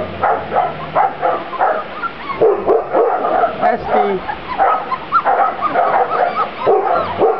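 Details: Several Grand Basset Griffon Vendéen pups, taken outdoors for the first time on 23 June 2009, give quick choppy barks and yaps in bursts, mixed with a person's voice talking nearby.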